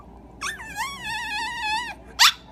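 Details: A 10-year-old Peke-Pom, being coaxed to "speak" on command, gives a long, wavering, high whine likened to squirrel noises, then a short sharp yip.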